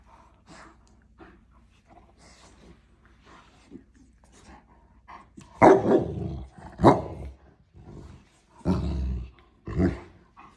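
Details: Black Scottish terrier giving a few rough, deep barks and growly bursts spaced about a second or two apart after a stretch of quieter scuffling and low sounds.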